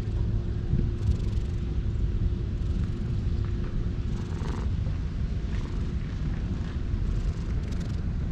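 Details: Stray cat met in a park, purring while being stroked: a low, continuous rumbling purr runs through the whole stretch over a steady background hum.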